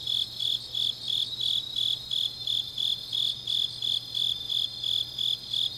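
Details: Late-night autumn grass insects in Changnyeong, Korea, trilling shrilly in regular rhythmic bursts near three per second, overlapping layers of high ringing chirps, a faint constant hum underneath.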